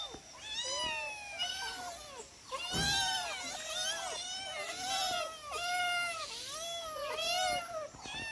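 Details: Domestic cats, four in the household, meowing at feeding time: a steady run of arched, clear meows from several cats, closely overlapping, each call under a second, with a brief thump near the middle.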